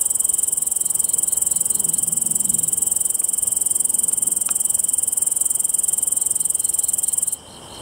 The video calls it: 섬중베짱이의 노래